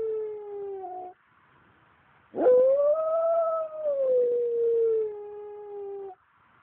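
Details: A Pembroke Welsh Corgi howls along with passing fire trucks, a sustained tonal wail that rises, holds, then slowly falls.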